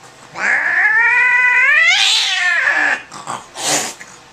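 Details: Angry cat at a vet visit, freaking out on the examination table: one long drawn-out yowl rising in pitch then falling, followed by short hissy bursts.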